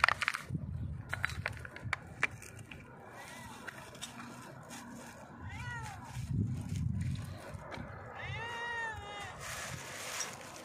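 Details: Stray cat, hungry, perched on a rock and begging for food with loud meows: several rising-and-falling meows spaced a few seconds apart, the last one longest, amid low rumbling background noise and brief clatters.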